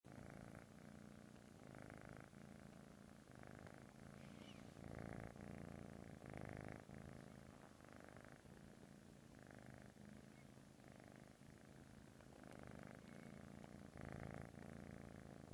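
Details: A British Shorthair kitten purrs steadily, a low rumbling buzz pulsing with each breath.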